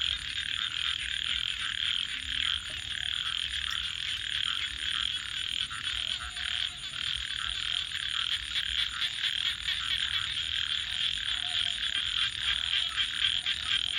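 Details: Nighttime frog chorus: many overlapping trilling calls merge into a constant bright buzz, with occasional lower croaks breaking through and a steady high-pitched whine overhead.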